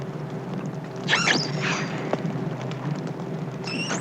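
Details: An isolated young female common dolphin calls in the night, picked up from about 4 miles away by radio: brief, high squeaky whistles over a steady electrical hum.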